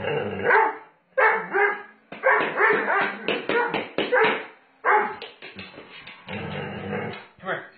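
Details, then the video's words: Doberman Pinscher Sage play-fighting roughly with its owner indoors, giving rough, harmonic growls and short barks in bursts of about a second, separated by brief pauses, while a man's voice urges it on. "Fighting With My Doberman Pinscher A Little Rough"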